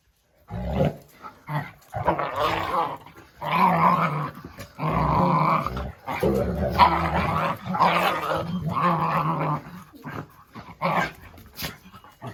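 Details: Rough, throaty growls from a Jack Russell Terrier named Oscar, coming in irregular surges of one to two seconds with brief gaps between them, loud and close, alongside human speech.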